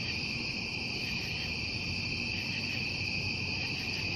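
Crickets trill in a steady, unbroken high-pitched chorus through the night.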